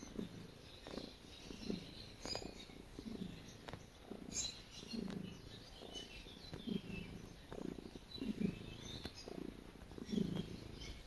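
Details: Domestic cat purring while kneading; low rumbling purr in broad pulses roughly every 1.7 seconds, rising and falling with each breath, with soft scratchy clicks of paws on fabric over a quiet background.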